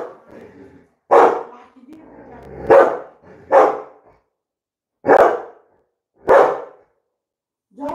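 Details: Labrador Retriever named Coco barking indoors, sharp loud barks repeated about every one to two seconds, six in all, with a woman's Bengali speech quietly in the gaps.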